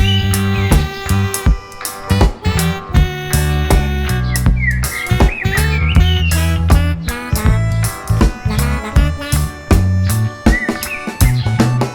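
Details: Upbeat music with plucked guitar and steady bass fills the whole stretch, with no clear animal voice.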